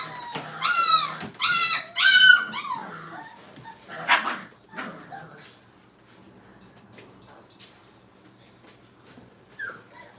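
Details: Brittany puppies in crate training at a kennel: three loud high whining cries in the first seconds, then short yips and rustling, fading to near quiet with one last brief whine at the end.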